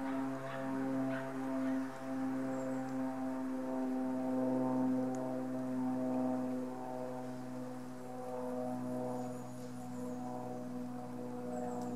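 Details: A steady low mechanical drone with layered harmonic tones, and no animal calls. Only faint scattered ticks rise above the hum.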